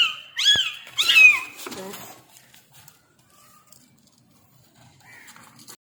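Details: Tiny newborn kitten giving two quick high-pitched mews in succession, thin and wavering, followed by a softer trailing cry, then near silence with a faint distant call at the end.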